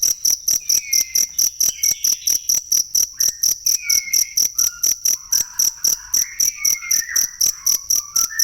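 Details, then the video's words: High cricket chirps, for tutoring songbirds, pulse about twice a second while several quieter whistled and warbled bird notes weave through the background. "ASLI SUARA JANGKRIK BUAT MASTERAN BURUNG"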